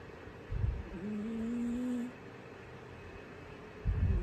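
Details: Orange, an orange pet cat, snores while sleeping indoors: two short, low, rough breathy bursts at the start and end, with a thin rising-then-level whine between them.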